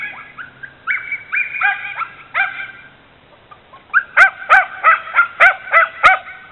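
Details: Border Terrier mix dog barking at a bicycle in the driveway: high, sharp yappy barks with bright harmonics, a loose scattered run first, then after a short pause a fast steady series of about eight barks.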